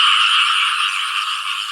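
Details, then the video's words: Frogs and banded bullfrogs calling in front of a rural house on a rainy-season morning, a dense continuous chorus of overlapping rattling croaks filling the air. "นี้ก็เลยเอาพาเพื่อนๆมาฟังเสียงกบเสียงอึ่งอ่างร้องเป็นหลักเลยครับเป็นหน้าบ้านผมเอง"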